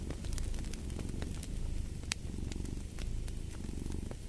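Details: Low, vibrating purr from a cat, steady with a brief dip near the middle, accompanied by frequent bright clicks and snaps of burning logs in a fireplace.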